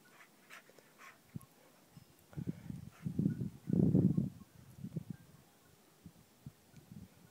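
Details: An Alaskan Malamute in the snow gives low, rumbling grumbles in short bursts, loudest in the middle of the clip.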